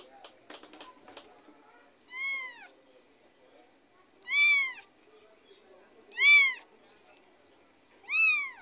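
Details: Mother cat following her kitten as it is moved between homes; four clear, drawn-out meows, each arching up then down, spaced about two seconds apart, preceded by a few soft clicks in a quiet room.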